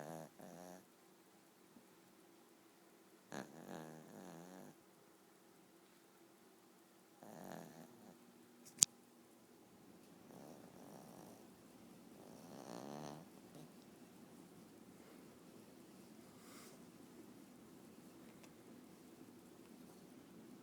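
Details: Female dog asleep indoors with her eyes open, snoring in soft raspy buzzing bursts roughly every four to five seconds, with quiet pauses between and a brief sharp click near the middle.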